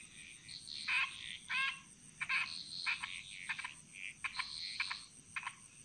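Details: Bali jungle frogs in chorus: sharp, clicking croaks with ringing overtones, delivered in quick uneven pulses and short rattling runs, several voices overlapping, over a continuous high insect drone.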